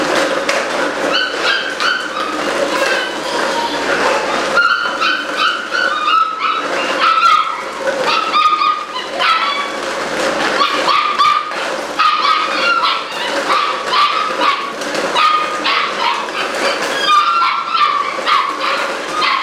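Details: Group of Malinois puppies, eight weeks old as of July 2015, yelping and yipping nonstop; short bright squeals and barks overlap in quick irregular bursts for the whole stretch.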